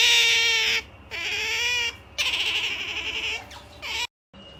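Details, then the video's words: MaiJi, a female otter about to sleep, making a pampering noise. Shrill, wavering squeals come in bursts about a second long, separated by short silent gaps. "Otter MaiJi makes such a pamper noise when she was about to sleep"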